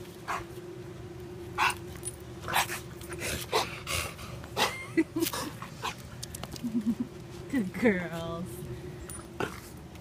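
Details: A female American Pit Bull Terrier named Marshmallow, available for adoption, recently finished nursing a litter of puppies; short rising whimpers and whines near the end, amid clicks, handling noises and a steady low hum.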